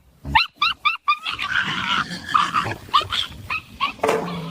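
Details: Pet dog giving a quick run of four short, high, harmonic yelps, followed by a longer wavering whine with scattered cries over a soft, noisy household background.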